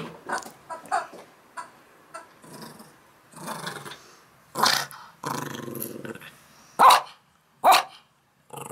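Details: Morning playtime for Max, a Yorkshire terrier-schnauzer mix dog: short throaty growls and grumbles come in uneven bursts, broken by loud sharp bangs near the end.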